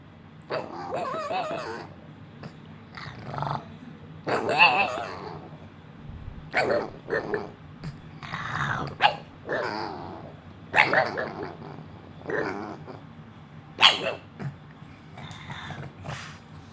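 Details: Pet female dog still making noise after being told to be quiet: a run of grumbling, talking-style growls and whines in short bursts every second or so, with brief higher squeaky notes.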